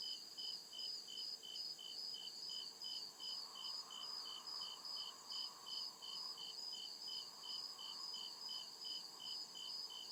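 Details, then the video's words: Crickets chirping at night in the deep woods, a steady chorus of high, rapid pulsed chirps repeating about two and a half times per second, with a softer constant high hiss and a faint lower hum swelling midway. "CRICKET CHIRPING SOUND"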